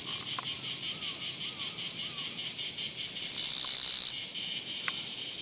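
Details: Japanese katydid on a walking path, 24 August 2017: a single loud, grating buzz lasting about a second stands out against softer, rhythmic pulsed chirping from other insects.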